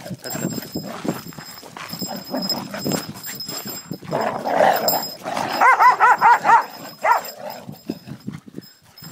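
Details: Kronos, a jealous Cocker Spaniel who won't let his owner pet other dogs, lets out a quick run of about six short, high, harmonic whines near the middle, preceded by a softer whimper. Human talk and rustling fill the background.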